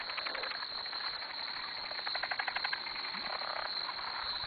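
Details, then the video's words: Frogs calling at 2am at a farm dock, a dense chorus of rapid pulsed clicks and trills overlapping, bursts of louder pulses near the middle over a steady high insect-like hiss. "Frogs at the Farm"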